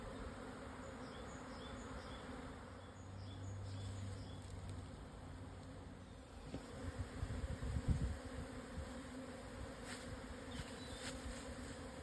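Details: Japanese honey bee swarm at midday on 17 June 2024 in the Yatsugatake foothills, Yamanashi, Japan, after strong wind; constant humming drone, with louder low rumbles and knocks in the second half and faint chirps early on.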